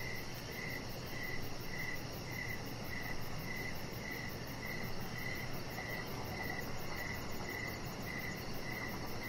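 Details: Outdoor evening crickets near a deck where a chihuahua puppy rests; crisp high chirps recur about every half second in a regular train, with steady low background rumble.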